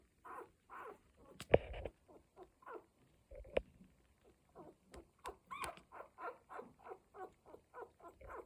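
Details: One-week-old Cocker Spaniel puppies from a litter, making short repeated squeaky and whiny calls about twice per second, with a few sharp clicks or knocks in between.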